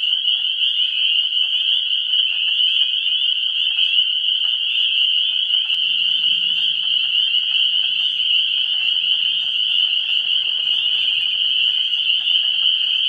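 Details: Early-spring frogs at a vernal pool, 17 March 2016: a constant shrill chorus of many callers, with scattered sharp individual notes and a brief low rumble partway through.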